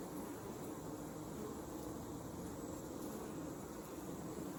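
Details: On a hot summer evening, 8 August 2020, in Alexander County, North Carolina, many Western honey bees drone together at a hive in a steady, low hum.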